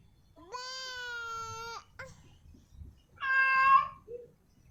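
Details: Female cat in heat calling a male: one long, steady, even-pitched meow, then a shorter, harsher wavering meow and a brief soft chirp, with low rumbling noise underneath.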